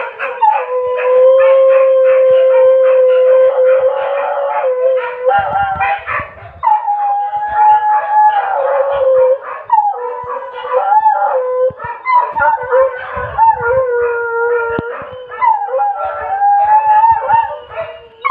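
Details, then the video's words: Dog howling at 2 a.m.: long, steady mid-pitched howls that hold, waver and slide between notes, with a second higher voice overlapping for much of the clip and brief rustling noises in between. "สุดหลอน เสียงหมาหอน ตอนตี2"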